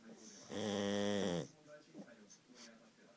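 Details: Futa, a sleeping pug whose flat nose makes his snoring very loud, gives one long, rasping, harmonic snore lasting about a second, followed by quiet breathing in a small room.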